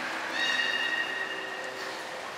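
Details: Beluga at Port of Nagoya Public Aquarium on 23 February 2021, during pool transfer and training of Hodoi, Taanya and Mirai: a steady, slightly rising whistle with bright harmonics, held for about two seconds over faint background hiss.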